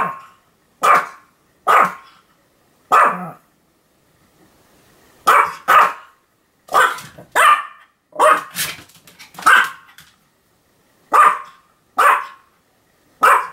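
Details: Sam the Pomeranian in a run of continuous barking, October 2015: about fifteen short, sharp yaps, mostly singles and pairs spaced under a second apart, with one brief pause near four seconds before the barking resumes steadily.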